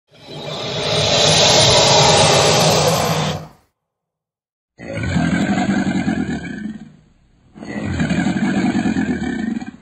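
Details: Caiman hissing when threatened: a long, loud, breathy rush lasting about three and a half seconds, then after a silence two shorter, rougher, lower hisses.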